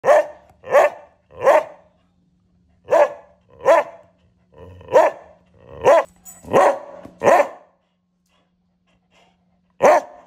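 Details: A beagle on a third-floor balcony suddenly barks out of nowhere in loud, throaty bursts, one after another in an uneven series.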